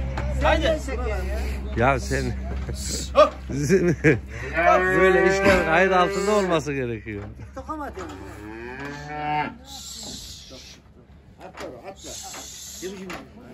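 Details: Simmental heifer bought at a livestock market, loaded onto a truck and unloaded to bring home. Loud, long, drawn-out harmonic moos dominate, the strongest one sustained over about two seconds, among shorter lowing calls, with knocks and faint human voices.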